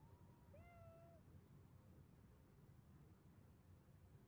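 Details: Domestic cat giving a single clear meow that rises slightly and holds steady for under a second, then quiet with a low background hum.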